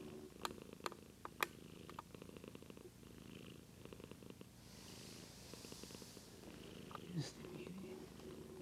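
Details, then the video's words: Indoor domestic cat growing sleepy, filmed on a Lumix GH2, purring steadily as a rhythmic low rumble of quick pulses, with soft clicks, handling rustle and a few quiet spoken words. "Our Cat Daisy Purring"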